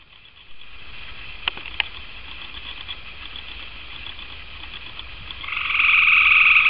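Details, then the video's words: Gray tree frog sitting in a tree outside a back door, calling: a steady, continuous high trill lasting several seconds, with two brief clicks early on and a louder close burst near the end. "Gray Tree Frog"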